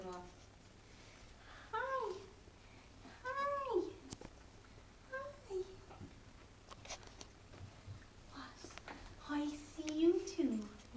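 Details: Five-week-old puppies playing with each other indoors give short, arched whimpering squeaks that rise and fall, a handful scattered across the stretch, with one longer whine near the end; a person talks softly in a small room.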